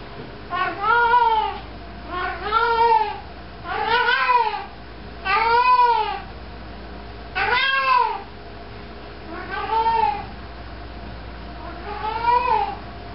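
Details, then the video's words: Indoor house cat meowing while walking around carrying a sock: seven muffled, rising-then-falling meows repeated roughly every one and a half to two seconds over a steady room hum. "cat walking around with sock meowing"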